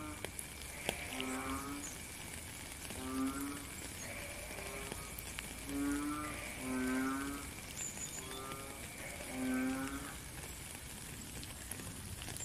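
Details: Frogs calling in the rain, recorded live in nature: deep, ratcheting croaks of about half a second, mostly one every second or two, over a steady background of falling rain.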